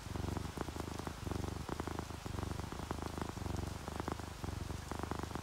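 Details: Contented purring from sleeping orange tabby and calico cats, a sound made when happy, relaxed or seeking affection. Even low vibrating rumble in rhythmic breath cycles, clicky bursts at each phase change, gentle rain patter behind.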